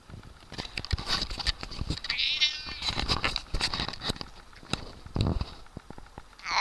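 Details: Siamese cat giving a loud, bleating, goat-like wavering yowl midway, with shorter strained cries near the end, amid rustling and knocking handling noises and a person's voice.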